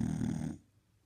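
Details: Sleeping Shar Pei dog snoring: a short, rough, pulsing rumble of breath lasting about half a second, then cutting off into near silence.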